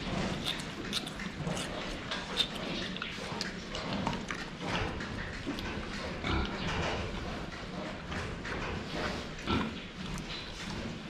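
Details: Pigs at a drinking spot, seen from the front: a string of short grunts and snorts mixed with clicks, splashing-like clatter and dense background noise.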